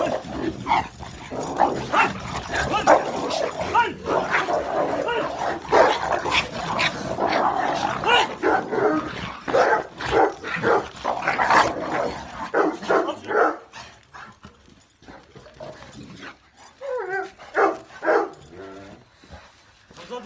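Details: Dogo Argentino and Cane Corso in a fight: dense, loud, harsh barking and snarling fill the first twelve seconds. It then breaks into scattered yelps and barks, with people shouting over them.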